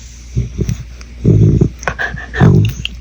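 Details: Sleeping older female Shetland sheepdog, a farm dog with seasonal allergies, snoring loudly: low rasping, rattling snores come roughly once a second, with a few sharper higher clicks between breaths.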